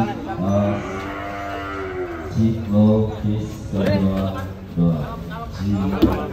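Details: Huge Pegon cattle unloaded at a 2022 contest in Kediri, lowing in deep, drawn-out moos with strong low harmonics, several separate bellows in a few seconds, with faint music in the background.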